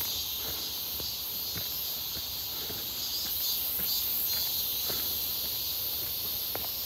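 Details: Midsummer cicada chorus heard on a walk near Seonbawi, 1 August 2023, a sunny, hot day: an unbroken shrill hiss-like buzz with shimmering high layers, and a walker's soft footfalls tapping beneath it.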